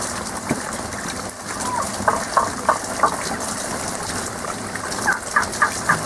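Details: Hidden frogs in a seasonal song, their calls coming as quick ringing notes in two short bursts, several per second, set against a constant gushing water background.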